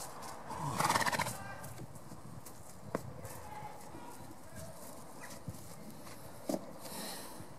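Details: Shire horses at very close range: one brief, shaky whinny near the start, followed by scattered hoof clops and faint background noise, with a person saying hello.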